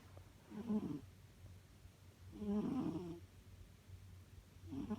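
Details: Domestic cat snoring: soft, rasping breaths about half a second long, repeating roughly every two seconds against a quiet background.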